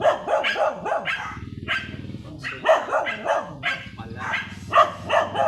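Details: Sidewalk shoot in San Carlos City, Pangasinan, with Sanji the blue-line Shih Tzu barking in bright, choppy yips, some in quick pairs, over a low murmur of background noise.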